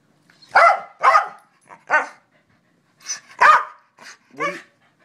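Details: Male pet corgi answering questions with a run of short yappy barks, about seven in five seconds, in two clusters separated by a brief pause, with a person's voice asking questions mixed in.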